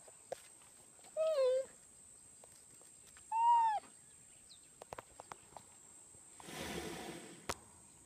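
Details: A cheetah gives two short, high, meow-like calls, the first dipping in pitch and the second arching.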